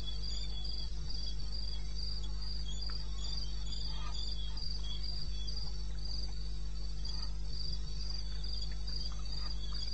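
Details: Cricket recorded in the wild in eastern Botswana at night, 21 May 16, 02:30 AM. Steady, piercing chirps come nearly four per second beside a fainter lower pulse, with occasional soft ticks over a deep hum.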